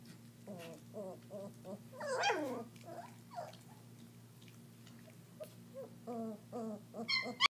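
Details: A litter of German Shepherd pups about three and a half weeks old, eating raw meat for the first time: bursts of short whimpers, one louder sliding yelp near the start, then more thin whines and a sharp squeak at the end, against low hum.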